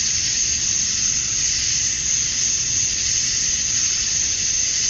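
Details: Chorus of male cicadas on a summer evening at dusk in Georgia, USA, calling to attract females; a high, even whirring drone without pauses, only a gentle waver in intensity.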